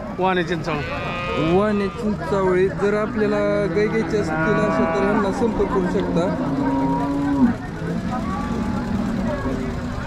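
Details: Jersey cows at Sangola market in Maharashtra, India, recorded 15 October 2023. A long drawn-out moo lasts several seconds, then slowly falls away. It follows shorter lowing calls, with market chatter and crowd noise around it.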